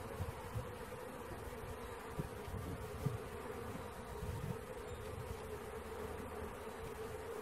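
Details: Honey bee swarm being caught: a steady, even drone hums throughout at a constant mid pitch, over a rumbling low-frequency background with a few faint thumps.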